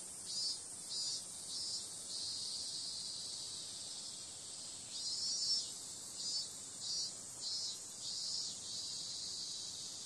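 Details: A continuous piercing buzz of cicadas on a summer night, marked by short rhythmic pulses in groups early on and again after the fifth second.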